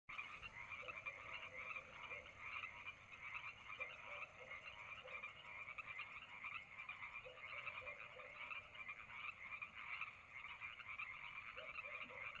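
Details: Frogs calling on a summer night at Lake Madrone: a dense, steady chorus of rapid pulsing trills rising and falling in loudness, with occasional lower, short croaking notes every few seconds.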